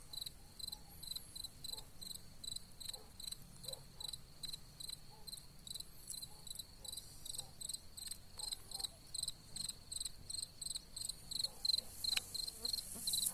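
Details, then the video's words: Cicadas sing among wild gladiolus in high, buzzy pulses repeated a couple of times each second. "WILD GLADIOLUS AND THE SINGING OF CICADAS."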